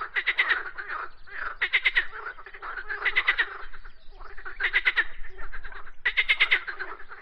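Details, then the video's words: Loud rattling frog croaks, each a short train of rapid pulses lasting under a second, repeated about every one and a half seconds, with softer croaks from other frogs between. "Frogs Croaking Sounds"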